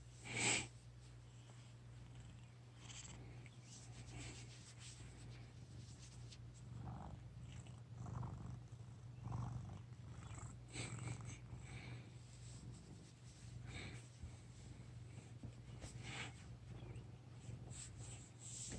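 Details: Sleeping fat male cat, pestered as it dozes, gives rough rasping snore breaths at irregular intervals of one to three seconds over a constant low room hum, a sharp click near the start.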